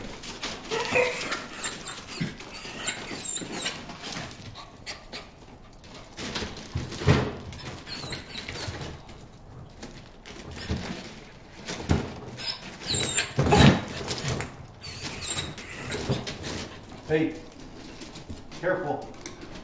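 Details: Bruce, a dog, barks at fish in the water hole, giving scattered barks and yips at irregular intervals over outdoor background noise, with louder bursts near the middle and toward the end.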